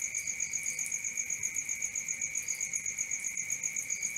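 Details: Crickets at night, a continuous chorus of fast, even pulsing chirps around four per second, with a steady high trill above and a lower ringing band beneath, no other sounds.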